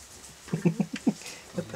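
A European badger gives a quick series of short, low, gruff grunts, then two more after a pause.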